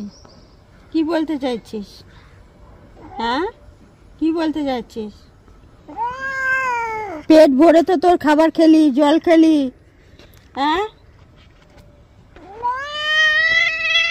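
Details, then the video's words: Cat in a bath, its long, rising-then-falling meows and one strained, quavering wail mixed in among frequent human speech, with a final drawn-out meow at the close. "Today our cat made mom very angry while taking a bath"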